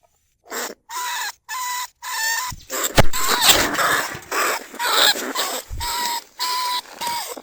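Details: Caged lesser bandicoot rat calling to other rats, recorded live at Na Lao rice fields, Nong Khu Phai. Evenly spaced buzzy squeals, with a burst of rougher, noisier squealing and a sharp click in the middle.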